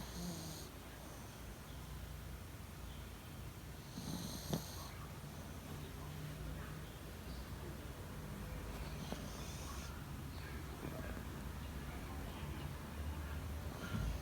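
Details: Yorkshire Terrier asleep uninvited in a person's bed, recorded 28 February 2019 at 9:15; soft breathy snoring with faint airy puffs returning every few seconds over a low, steady indoor hum.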